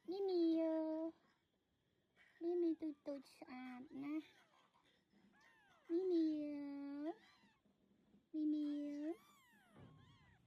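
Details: On a farm, a mother cat moves her young kittens to safety; four long, steady, harmonic meows, each around a second, spaced a few seconds apart, with brief speech between them.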